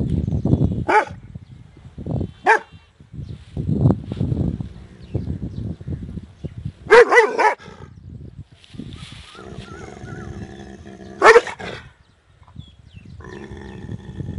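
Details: Big dog barking loud, several sharp broadband barks at about 1, 2.5, 7 and 11 seconds, some doubled, with rumbling low noise and handling sounds between them.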